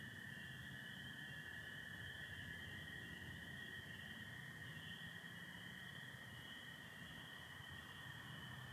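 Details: Michigan spring night chorus of spring peepers alongside American toads, 24 April 2025, stars showing through partial overcast; an unbroken piercing high band of calls sits over a steady lower trilling drone.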